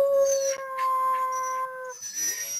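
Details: Dog of about 40 pounds, indoors, prompted to howl, holds one long, level, clear tone for about two seconds before it breaks off into rough, noisy sound and a woman's giggle.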